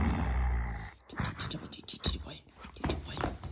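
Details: A husky, excited to play and growling at his owner, who is withholding a ball, gives a deep, rumbling play growl as the person talks over it.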